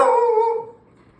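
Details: A beagle and a dachshund squabble playfully: one sharp, tonal bark with a whining, falling tail, lasting about half a second before fading.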